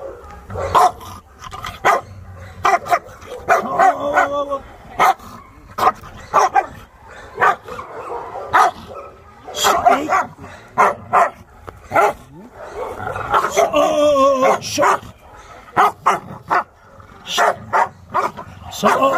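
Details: Chow Chow arriving for training, amid chaotic barking: many short sharp barks and yips in irregular bursts, some whining tones, mixed with people talking in Portuguese.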